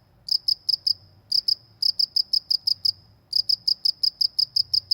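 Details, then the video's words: ['High, bright cricket chirps from a village countryside, pulses repeated nearly three per second in runs of four to eight separated by short gaps, steady and rhythmic over faint background hum.'] "suara jangkrik di pedesaan"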